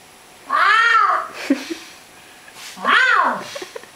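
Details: Pet cat in conversation with its owner: two loud, drawn-out meows rising then falling in pitch, rich in harmonics, about two seconds apart, with faint clicks and a brief human sound between them in a small room.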